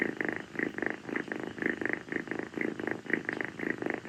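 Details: Affectionate purring from rescued calico kitten Kii, a female settled on a person's feet at night after play during a tropical heat spell; even, buzzing breath-by-breath pulses about twice each second, indoors and otherwise quiet.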